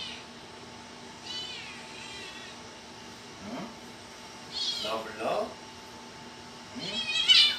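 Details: Kitten giving several short, high meows spaced through the recording, the last loudest and rising, amid a person's soft questioning speech in a quiet room.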